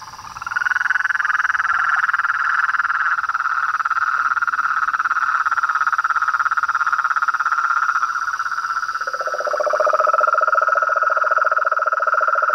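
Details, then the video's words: Toads, frogs and treefrogs calling at nightfall from a pond in front of a house veranda, a dense chorus of rapid pulsed croaks around a mid pitch, joined after nine seconds by a lower pulsing voice, with a steady high insect-like hum throughout. "A SINFONIA DOS SAPOS, RÃS E PERERECAS"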